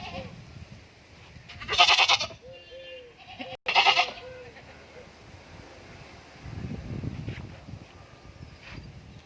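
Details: Goats at a farm in Indore giving two loud, coarse, buzzy bleats about two seconds apart, followed by a short break in the sound and then low, rumbling background noise.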